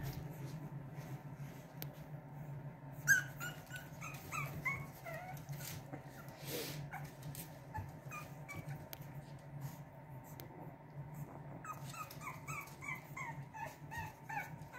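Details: Boston Terrier puppies from a litter of two give soft, high, thin yips and whimpers in short clustered bursts, several quick notes together, then quieter stretches, over a steady low indoor hum.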